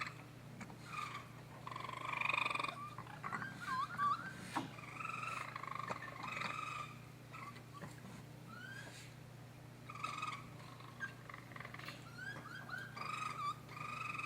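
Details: Young raccoons crying in a series of bright, trilling chirps, some rising and some falling. Several brief cries overlap with quieter gaps between them, and a steady low hum lies beneath.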